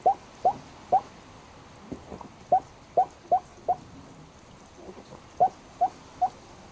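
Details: Snoozing black pug producing a steady string of brief, high squeaks, roughly every third of a second to a second, a dozen in all, with faint breathing noise behind; these sounds may be hiccups or snoring.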